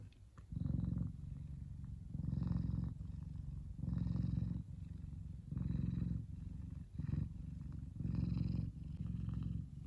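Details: Sun-basking F2 Savannah cat Kumba, a sweet big boy, gives a loud throaty purr; strong low pulses about every two seconds separated by brief quieter inhalations.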